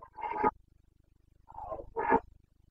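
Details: Carpathian red deer stag roaring in the rut among Bucovina's mountain forests, 29 September 2022. Two loud, coarse, throaty bellows separated by a pause of about a second, the second rising to a harsh peak, over a quiet low throbbing hum.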